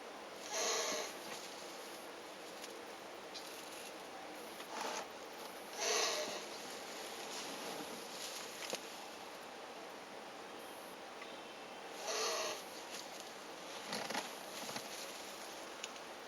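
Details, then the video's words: Elongated tortoises during mating, after a week of courtship, give a series of hoarse, wheezy puffs at irregular intervals of a few seconds, some louder with faint squeaky tones, against soft indoor hiss and occasional light rustling. "Tortoises make weird NOISES during MATING!"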